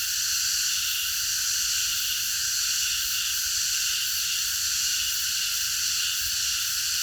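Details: Cicadas chorusing at night in a park: a dense, unbroken high-pitched buzzing drone that holds steady for the whole stretch, with a faint low rumble of background noise underneath.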